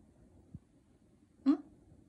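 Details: White male Pomeranian named Hong seol, born January 2016, kept indoors as a pet, gives one short rising yip with strong harmonics, preceded by a soft thump, while a woman asks in Korean whether she may film him.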